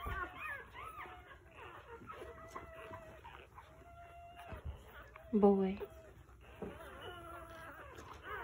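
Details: Pit Bull (Bully) giving birth to her first litter: high, thin, wavering whines and squeaks come in short bursts, one louder quavering cry near the middle, with soft human voices talking underneath.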